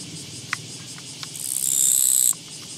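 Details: Japanese katydid encountered on a walking path, 24 August 2017: after a few soft clicks, a high, rasping buzz builds in loudness for under a second, then stops suddenly.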